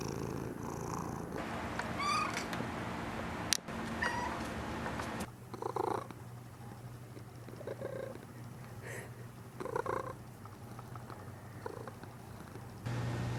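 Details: Mish Mish the cat gives two short, high meows early on over a low purring rumble, followed by quieter rustling and soft indoor noises.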